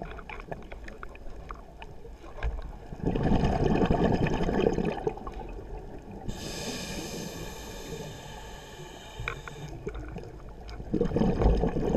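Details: Water sloshing and gurgling with handling knocks and a steady mechanical whine, with no clear animal call. Low rumbling noise runs throughout.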